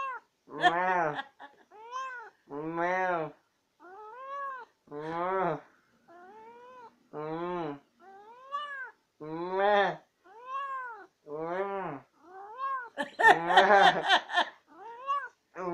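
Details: A long exchange from Tammy, a talkative pet cat who must always have the last word. Arched, bowed meows repeat roughly every second, alternating with deeper voice-like replies, growing louder and rougher toward the end.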